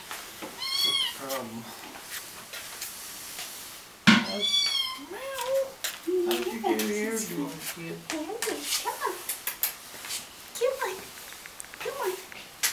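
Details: Young kittens from a cat's second litter, indoors; thin, high-pitched meows ring out near the start and again around four seconds, followed by a person talking with lower murmuring sounds and small bumps.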